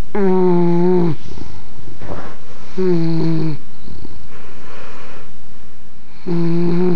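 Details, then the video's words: English bulldog asleep and snoring inside, three buzzy droning snores in seven seconds, each dropping slightly in pitch at its end, with noisy snuffling exhales between them. "Snoring English Bulldog"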